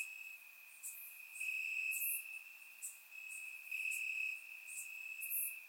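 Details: Night chorus of crickets in summer grass, Bulgaria, surround recording: continuous shrill trill holding one pitch, overlaid by short sharp chirp bursts from closer callers and slow rises and falls in loudness.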